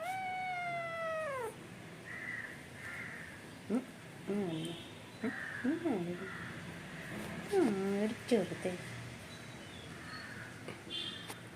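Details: Angry kitten letting out a long, falling meow, then a run of shorter, clipped, wavering meows at irregular intervals, with a woman talking to it in Malayalam and faint background music.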